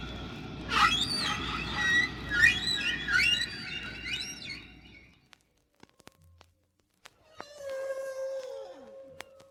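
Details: A single humpback whale's song heard at natural speed and pitch through a hydrophone off Bermuda in spring: high squeaky rising tones and low moaning, rumbly swoops, echoing in deep water.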